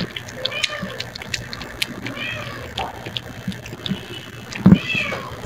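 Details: Rescue cat at mealtime with soft tuna, sardine and shrimp cat food mixed with coconut oil, indoors; several short rising-falling meows spread across the clip, with clicks, chewing and handling noises and a low steady hum.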